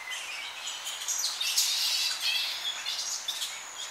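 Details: Young Tonga flying foxes squabbling in an evening colony, heard close up: a dense, unbroken chatter of shrill squeaks and rasping screeches overlapping for four seconds, with slight wind moving through the tree.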